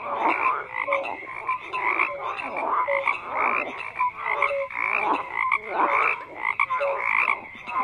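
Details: Many frogs croak together, rasping pulsed calls mixed with brief clear tonal notes, rising and falling in waves of loudness throughout.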